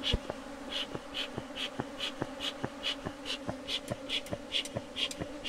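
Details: Bees of a colony at a bee box, kept by a beekeeper, give a continuous low drone. Sharp clicks repeat about every half second over it, each paired with a brief higher chirp-like tick.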